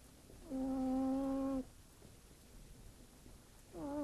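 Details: House cat Fırfır asleep and snoring like a person: one steady, even-pitched humming snore lasting just over a second, then silence before the next snore begins.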